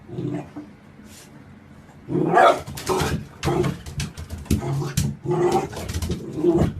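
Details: Puppy barking indoors in a small room, a run of short rough barks packed close together after a quieter opening, with low thumping knocks underneath and faint room noise.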